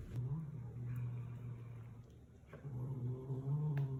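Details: Cat growling while eating, guarding its food from its daughter: a low, steady rumbling growl that dips briefly near the middle, then resumes and rises slightly in strength, with faint indoor background.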